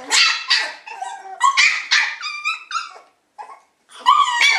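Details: Several Shiba Inu puppies give sharp, high-pitched yips and squeaky whines in quick irregular bursts, some notes rising and falling in pitch, broken by a brief silence before more yelping.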